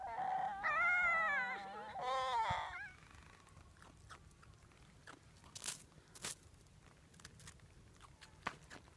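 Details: Fox at Zao Fox Village, Japan, in winter: two loud, wavering, harmonic screeching calls within the first three seconds, then quiet with scattered faint clicks and soft thumps.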